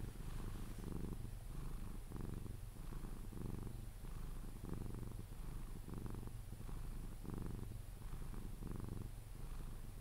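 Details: Low, continuous purring from Pepe the Sphynx cat during cuddles, purring until he falls asleep; the rumble swells and fades in regular breaths roughly every 0.7 seconds, recorded up close in a quiet room.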